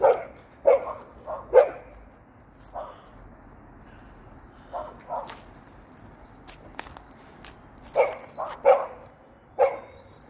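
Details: A hopping Golden Retriever barks in bursts: three sharp barks close together at the opening, softer single barks in the middle, then another quick run of four or five barks toward the end.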